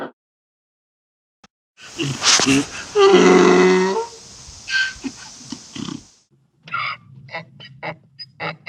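A donkey gives a harsh, loud bray with a rasping, strained tone, then quieter snorts and clicks.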